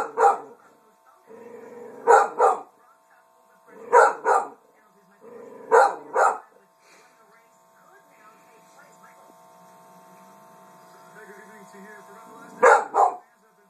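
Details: Female dog barking at her own reflection in a mirror indoors; short sharp barks mostly in pairs, about every two seconds, with low whines and grumbles between and a steady hum in the room.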